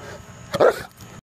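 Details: Two-year-old Saint Bernard doing wind sprints gives a single short, loud bark lasting under a second, with faint background hum before and after.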